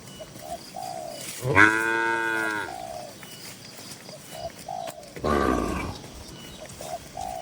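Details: In a lively farm pen full of tame cattle, one cow gives a full, level moo, and a rougher, lower bellow follows a few seconds later. Cooing doves run through the background.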